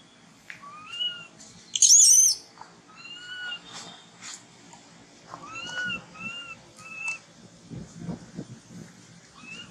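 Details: Motherless infant monkey Thona, hungry for milk, utters a series of short, arching whistled whimpers, mostly soft, punctuated by one loud harsh shriek near the start.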